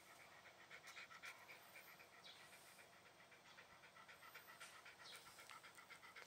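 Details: Shiba Inu breathing hard, a run of quick hissing pants in a fairly regular beat, about four breaths per second, a few louder puffs early on.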